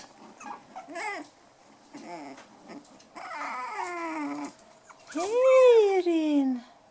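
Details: Playing litter of five-week-old poodle puppies, black toy and white dwarf and toy poodles, indoors: high wavering whines and squeals rising and falling, ending in a loud drawn-out whine that swoops up then slides steadily down.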